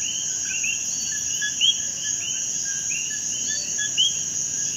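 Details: Common coquí chorus from Puerto Rico: several frogs give short low notes followed by bright rising whistles, overlapping irregularly against a continuous shrill insect hum.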